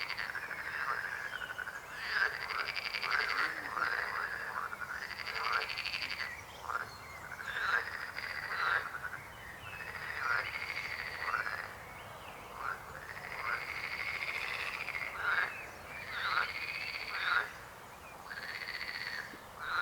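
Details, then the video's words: A steady frog chorus: many arched, buzzy, pulsed croaks overlap almost without a break, each swelling and fading within a second or two, the whole chorus keeping an even intensity throughout. "Rechot żab. Croaking frog sound."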